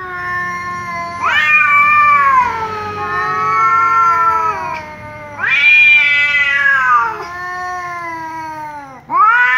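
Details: Tom cat, angry, yowling loudly back at a meowing ginger cat: long harmonic wails that start high and sag downward, three drawn-out bursts with short pauses between them.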